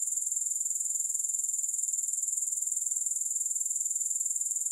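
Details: Unbroken, rapidly pulsed high trill of grasshoppers, about four pulses per second, even in loudness throughout, with no music or other sounds.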